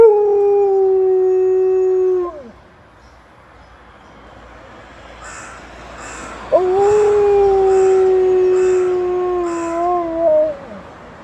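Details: Alaskan Malamute Liza howling at 6 AM as an ambulance passes: one steady howl sliding down and fading, a quiet gap, then a second long wavering howl. A soft, high, repeated chirping pulses in the background.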